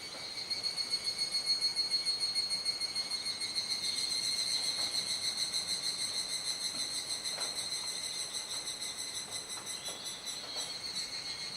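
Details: Cicadas calling at dusk in Kuji, Iwate Prefecture, on 17 July 2017, rainy season, as the sky darkens: a loud, shrill ringing chorus that swells in rapid regular pulses, about three per second, over a high steady drone.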